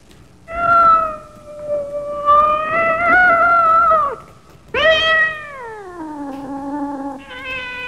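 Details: Long, drawn-out, wavering meows from kittens at play outside on the grass; a sustained cry of several seconds, then a second that starts high and slides steadily downward.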